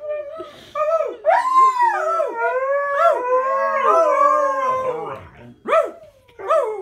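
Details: Two dogs howling together, long wavering overlapping tones sliding up and down, with several voices layered at once, then shorter rising yelps near the end.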